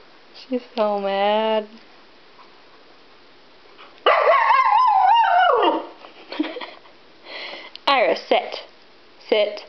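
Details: Husky Iris, left behind while family went to PetSmart, vocalizes indoors: a steady harmonic-rich whine, then a long wavering howl, then scattered yips and grumbles mixed with a person talking.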